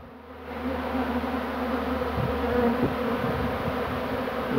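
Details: Swarming bees, 2 June 2019, as a beekeeper begins catching a second swarm; a thick, even buzzing of many wings swells up from near-quiet within the first second and holds steady.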